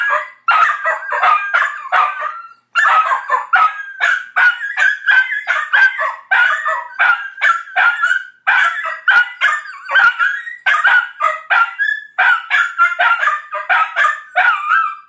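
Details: Two Dachshund brothers howl in chorus, their voices wavering and breaking into quick yelping pulses; the mournful cries rise, fall and overlap, running on with only brief gaps for breath.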